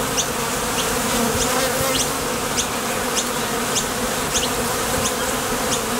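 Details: Honey bees flying in and out of a Top Bar Hive entrance on nectar runs produce an unbroken, low, humming buzz, with light high chirps pulsing steadily in the distance.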